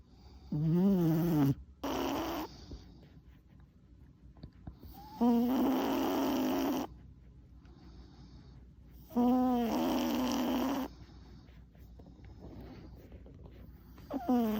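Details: Sleeping four-year-old male Chihuahua named Tuna, exhausted after an unusually long one-hour walk; rasping snores pair a tonal inhale with a noisier, longer exhale, recurring about every four seconds, indoors and otherwise quiet.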